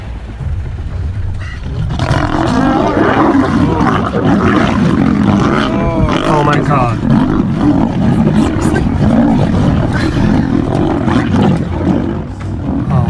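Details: Male lion fighting to save a female lion; after two seconds of low rumble, a dense, continuous stretch of harsh growling and snarling roars, loud and unbroken, with overlapping throaty bursts throughout.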